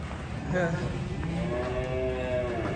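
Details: Banteng cattle mooing: drawn-out, low harmonic moos, one near the start and a longer one through the second half, with music and a man talking in the background.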